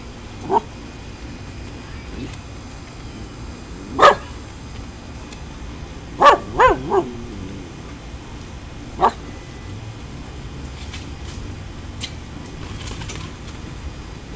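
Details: Husky pups and a schipperke pup playing outdoors after rain, giving six short, sharp, high barks and yips spread unevenly over fourteen seconds, including a quick run of three, over a steady low background hiss.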